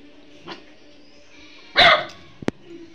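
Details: Domestic dog jokingly called 'rat' by its owner barks at the owner's wife, whom it does not know: one loud, harsh bark, followed by a couple of sharp clicks and quiet room noise.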